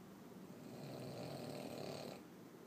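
A Boston Terrier snores with a rough, rattling rumble through its short nose.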